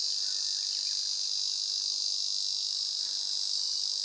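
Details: A continuous high, hissing buzz from an Ezo cicada, level and unchanging throughout, like a sustained electric whine with no breaks or rhythm.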